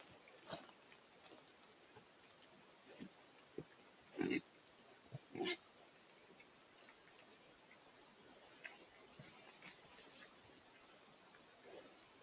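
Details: Wild boar in an Eifel woodland, early October 2024, recorded on a Coolifepro PH960W: a few scattered soft grunts, then two loud harsh grunting bursts close together, over a steady low hiss of forest background.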